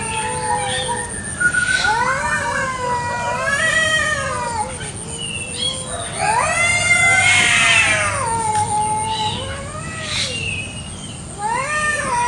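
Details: Kampung cats fighting over territory in a garden one morning, so loud it hurts the ears: a string of rising-and-falling wails, some swooping up sharply, with brief scratchy bursts between them over twelve seconds.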